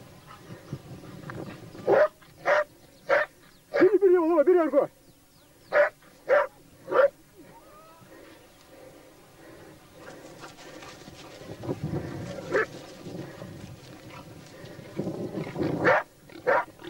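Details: During a wild boar hunt with laikas and a labrador, bursts of barking come in clusters, with a brief wavering whine near the start, then a quieter stretch of rustling before more barks.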